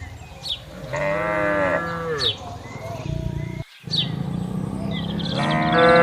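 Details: Tame cattle roaming farm fields in the countryside: a single drawn moo over a low background rumble. A brief dropout follows, then a harsher, louder call at the end, with faint bird chirps.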